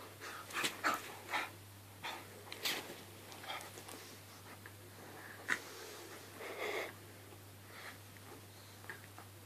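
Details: Staffordshire Bull Terrier and Jack Russell Terrier at play: breathy snorts and wheezy huffs in short scattered bursts, loudest early on, over a steady low electrical hum.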